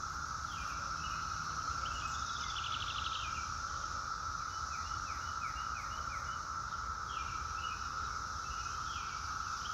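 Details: Continuous cicada song forms a flat, sustained buzz plus a high sizzling layer across the whole stretch. Quick series of chirping bird notes repeat in the background, with low-pitched rumbling noise throughout.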